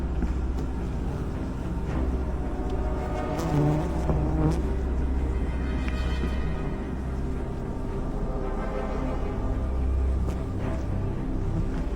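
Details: Dark, tense background music over a deep continuous rumble, with a few faint clicks and no distinct animal call.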